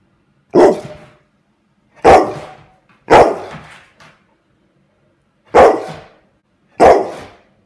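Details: Angry pet dog barking at a fidget spinner it dislikes, indoors: five loud, sharp barks spaced one to two seconds apart, with a longer pause midway, against a quiet background.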